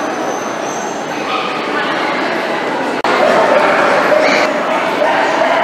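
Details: Miniature dachshunds whimpering and yipping in a continuous loud blur of overlapping voices, with a short break near the middle before drawn-out tonal whines resume more strongly.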